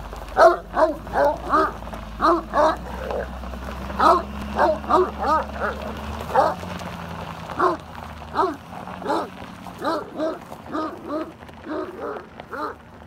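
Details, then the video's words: Domestic dogs barking at a truck: a rapid series of sharp, loud barks, roughly two to three per second, with a steady low hum beneath and a brief spoken exclamation. "Always Barks At The Truck"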